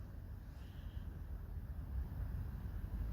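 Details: Low, steady rumble of wind buffeting the microphone, with no animal voice standing out above the noise.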